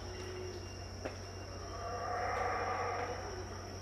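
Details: Howler monkeys roaring at dawn, about 6am, at Tikal in Guatemala, heard but not seen: a distant, swelling, hoarse roar builds through the second half over a steady high insect whine and a low hum.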